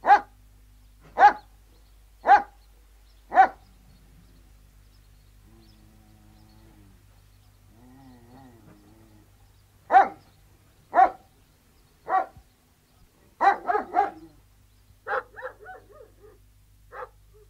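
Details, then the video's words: Outdoor recording of three Alsatian guard dogs: four evenly spaced single barks about once a second, a quiet stretch with faint low whining, then more barks and a short ragged burst of several dogs. "Three Alsatian Guard Dogs Barking, Exterior"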